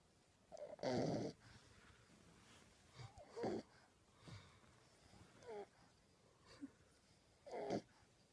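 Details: Sleeping puppy snoring loudly, a broad raspy burst near one second followed by softer snorts and wheezy breaths at irregular gaps, ending with another strong snore near the close; quiet indoor background.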